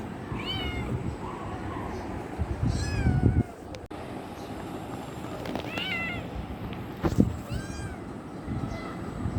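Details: Affection-seeking kitten mewing repeatedly: short, high, bent cries with rising-falling contour, several in quick succession, amid low background rumble and occasional thumps.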